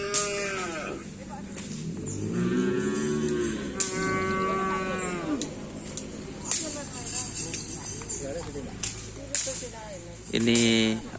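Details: Cattle at a karapan sapi (bull racing) training session in Asemanis, lowing in several long, drawn-out harmonic moos, some rising and falling, amid background music, clicks and human voices.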